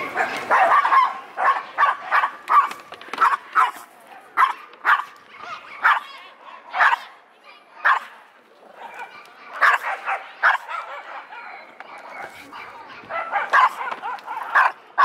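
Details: Female Pomeranian-Pekingese mix barking nonstop before entering the dog run at Yoyogi Park, barking at people and dogs alike; a rapid series of high, sharp barks, roughly one or two per second, with brief pauses and faint voices.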